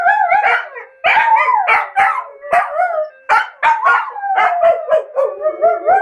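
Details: Pet dogs Bubu and Charlie in their daily 13:00 chorus set off by a ringing phone alarm: wavering, sliding howls mixed with short yips, two voices weaving together, with brief breaks between bursts.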